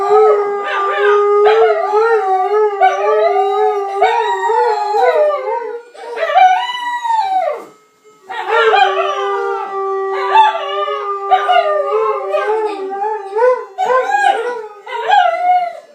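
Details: A saluki and a Chinese crested dog howl along with a Swedish ice cream truck's tune: long wavering, tonal howls that rise and fall, overlapping the truck's steady melody, with a short pause near the middle.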